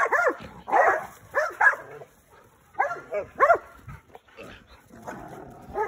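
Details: Dogs, an American Pit Bull Terrier and a Malinois cross, give a run of short, high whining yelps, each bending up then down, in quick clusters with brief pauses, while a handler's voice is heard faintly.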